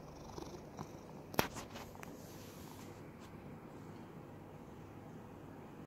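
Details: In Cooktown, Queensland, Australia, a rescued domestic cat being patted under the chin purrs in a steady, low, rumbling throb, heard very close.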